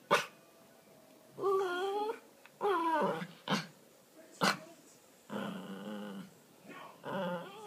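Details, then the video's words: Miniature Pinscher, a male pet dog, begging in the evening to play with his laser toy: drawn-out harmonic whines and groaning moans in several bursts, separated by sharp clicks or taps. "Min Pin - Begging"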